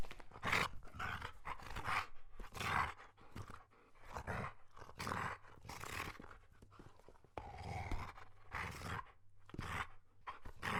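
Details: German Shepherd dogs giving a run of short, harsh, broadband barks and grunting vocal bursts, irregularly spaced with brief pauses between them.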